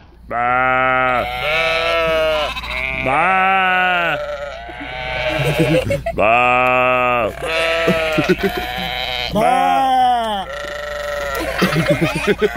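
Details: Screaming sheep giving loud, wavering, humanlike yells, one after another with barely a pause, each a long harmonic bleat that bends up and down in pitch, with rougher, noisier cries near the end.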